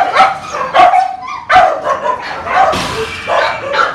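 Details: Phu Quoc Ridgeback dogs of mixed ages barking and yipping loudly, roughly one bark each second in an uneven rhythm, with short whiny squeals between some of the barks.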